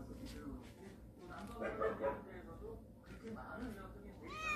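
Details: A family of cats from a storage shed, now come into the house, meows indoors: a harmonic mewing mid-clip, then a sharp rising meow at the end, with a person talking over it.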